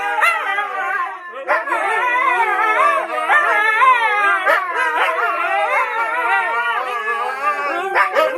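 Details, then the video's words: Group of four Siberian Huskies singing together: layered, warbling howls sliding up and down in pitch, several voices overlapping at once, broken by sharp yelps and short barks every second or so. "Four Huskies Making Some Noise While Singing Together"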